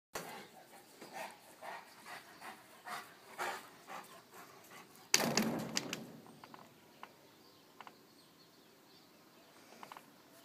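A Rottweiler pants in quick breathy bursts, then gives one loud, harsh sound.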